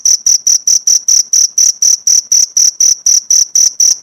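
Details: Cricket song for teaching pleci (white-eyes): a strident, metallic chirp repeated around four times per second, pulses uniform in loudness, nothing else audible.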